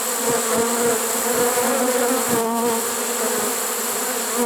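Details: Swarm of honey bees in a trap, caught late in the season on September 1, 2019: a constant buzzing drone with wavering tones from bees moving close, plus scattered soft knocks.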